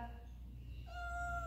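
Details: Indoor cat exploring the living-room rug gives a brief level, tonal mew in its second half, set against a constant deep background hum.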